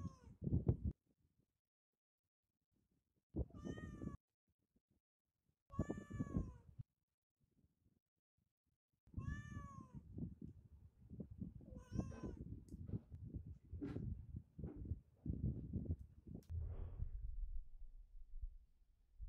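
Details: Cat eating and snatching chicken: four loud drawn-out meows with strong harmonics, spaced a few seconds apart and separated by silence, followed by chewing and crunching noises with a few faint meows.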